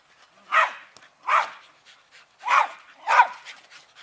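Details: Rat Terriers playing tether ball, four short sharp barks spaced under a second apart, each a brief burst with quiet gaps between.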